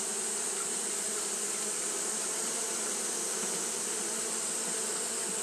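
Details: Continuous group buzz of Japanese honey bees fanning on a hot day, an even droning wing hum that never pauses, set against a steady bright hiss.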